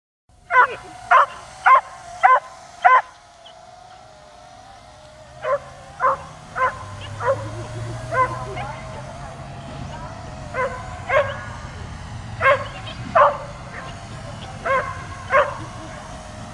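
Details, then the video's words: Dog barking continuously at a drone flying overhead while trying to jump up at it; sharp barks in a fast run of five, then spaced single barks, over a steady drone hum. "DOG BARKING AND JUMPING AT DRONE"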